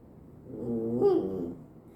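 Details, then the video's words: A pet dog making a strange sound indoors while its owners eat, being told to wait: one drawn-out, harmonic, wavering whine lasting about a second, rising slightly then falling, over a quiet room. "우리끼리 먹을때 이상한 소리 내는 강아지"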